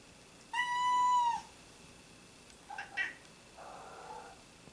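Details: Pet cats calling indoors: one long, steady, clear meow held almost a second, followed by two short chirping sounds and a faint, low murmur trailing off.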